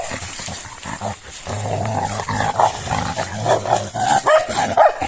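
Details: Pair of female Sarplaninac dogs playing like warriors: steady deep, harmonic growling rising and falling, broken by gruff bark-like snaps and rustling movement.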